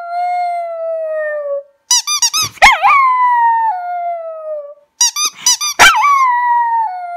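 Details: Toby, a pet dog, sings indoors: long drawn howls that slide slowly downward, broken by a burst of sharp, squeaky yelps, then another falling howl.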